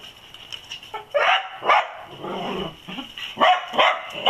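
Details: Dachshunds on the trail of an olive-raiding possum give loud, rough barks in quick succession, with a strained whining yelp between bursts.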